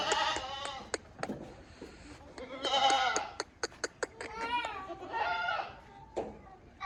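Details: Sirohi goats, bucks and does kept on a farm, giving wavering, quavering bleats in overlapping bursts, several goats calling within a few seconds, amid sharp clicking and knocking noises.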